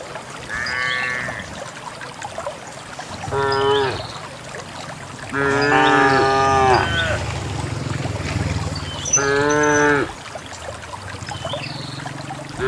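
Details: A herd of dozens of countryside cows heading out to a green valley on a quiet morning moos repeatedly: short high calls, then a long, loud, deep lowing and another wavering moo, with trampling and rustling around.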